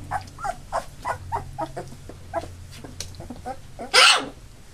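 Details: Labrador Retriever puppies just short of three weeks old, eight in the litter, now walking with eyes open; a quick run of short squeaky whimpers, several per second, then one loud harsh burst near the end.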